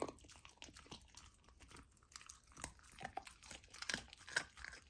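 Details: A golden retriever puppy has its first taste of raw lamb indoors. Close, crackling chewing is heard, with bright crunches that grow louder and more frequent toward the end.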